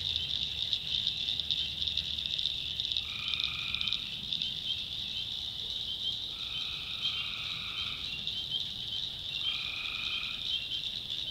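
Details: Tree frogs at night in a North Carolina backwoods swamp: three separate trilled calls, each about one to one and a half seconds long, spaced roughly every three seconds over a continuous high, buzzing background chorus.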